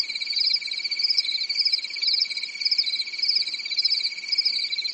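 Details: Crickets on a quiet summer night in a European forest; dense high chirping pulsing in gentle waves roughly every half second, over a steady underlying trill, nothing else audible.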